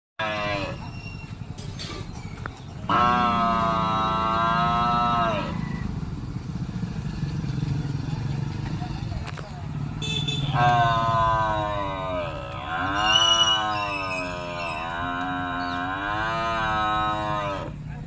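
A buffalo calls in two drawn-out bellows, the first steady and the second rising and falling in wavering swells. A motor rumbles in the background throughout.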